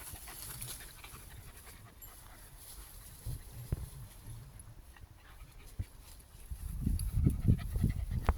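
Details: Rubik, a German Jagdterrier hunting dog, filmed around a thunderstorm: quiet low rumbling at first, then fast breathy panting bursts of about three per second grow loud in the last two seconds.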